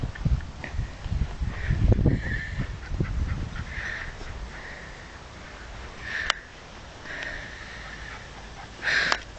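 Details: Asta, a Scottish Terrier crossed with a Cairn Terrier, sliding along rather than walking; rapid snuffling sniffs in the first three and a half seconds, then quieter, with a steady faint tone, a sharp click near six seconds and a brief noise at the end.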